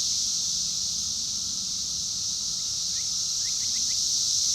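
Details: Steady, shrill cicada buzz dominating, drowning out a mockingbird whose few faint, rapid upward chirps surface near the end.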